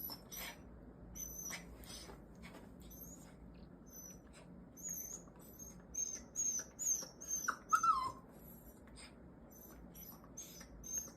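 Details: A one-year-old Mini Goldendoodle named Songari, excited by a toy it seems to love, makes strange sounds: faint high thin squeals and a brief whine that rises then falls, scattered over a quiet indoor background.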